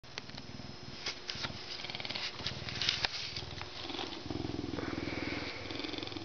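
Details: Captive, humanized male Canada lynx, a zoo-born educational animal ambassador, purring while being scratched before his meal; low, steady pulsing rumble overlaid with scratching clicks and rustling.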